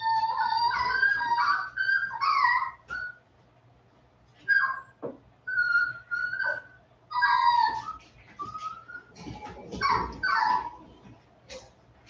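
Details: 47-day-old Westie puppies back inside after time outdoors, giving thin, whiny, pitch-bending whimpers and short yelps in overlapping bursts. A faint room hum runs throughout.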